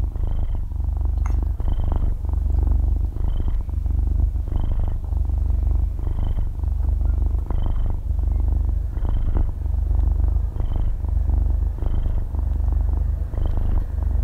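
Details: Asleep half-year-old kitten purring right beside the microphone; thick low rumble swelling roughly every one and a half seconds, each cycle topped by a soft nasal squeak, no voices or music present.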